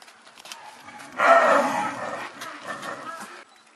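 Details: Snow leopards in a zoo enclosure at Tama Zoo, Japan, the male still chasing the female after mating amid a fairly rough fight; one loud, sudden gravelly snarl bursts out and fades over two seconds, with faint voices around.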